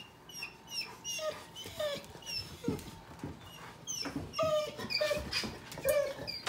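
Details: Pitbull puppy and a Chihuahua mix dog playing together: rapid high-pitched yips and whiny squeals, short and irregular, several per second in bursts, with faint thumps and scuffling of play between calls.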